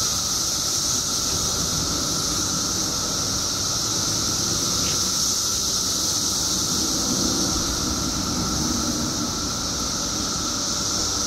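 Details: Periodical cicadas in Illinois, billions emerging after 17 years underground, forming a dense, unbroken shrill drone with a steady high hiss above a lower whining hum, constant in loudness throughout, with a faint low rumble beneath.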